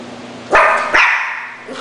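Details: Schnauzer giving two loud, sharp barks about half a second apart, each bright and harmonic, the second trailing off, followed by a faint short yip at the end over a low steady hum.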